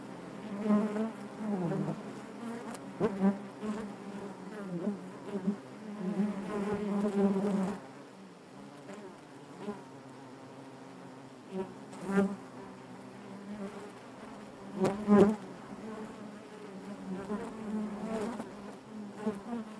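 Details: Inside a honey bee hive, a continuous low droning hum rich in overtones, louder for the first seven seconds, then quieter, with sharp short surges at intervals as bees move near.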